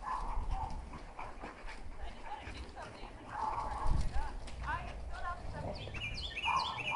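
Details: A dark dog, possibly a heeler mix, makes odd moaning, whiny vocal noises while frolicking with an Australian shepherd in April 2012, over low scuffling and rumbling.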